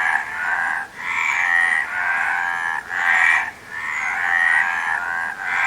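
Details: Dense chorus of frogs giving grating, pulsed croaks at a middle pitch, the calls swelling and fading in waves with brief gaps near one and three and a half seconds.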